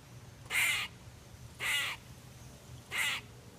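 A squirrel gives three loud, harsh, rasping screeches, each about a third of a second long.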